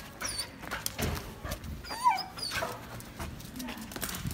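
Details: Samoyed giving a short whining vocal that rises and falls in a tonal sweep around its midpoint, amid soft indoor clatter and faint human voices.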